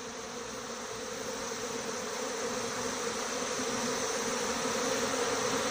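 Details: Honey bee swarm leaving its six-frame hive with the white-marked queen; an even, droning buzz of many bees, a steady hum with a clear mid-low tone, gradually growing a little louder.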